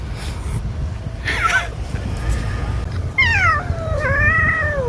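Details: Munchkin cat meowing twice near the end, each a clear tonal call falling in pitch, after earlier people's speech and household noise.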